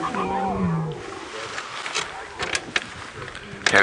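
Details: A lion of the Nkuhuma Pride at sunrise at Djuma Game Reserve, South Africa, gives a harsh, falling snarl as a dominant male asserts authority near a carcass with females and cubs, then scattered rough growls and thumps, with a man speaking quietly.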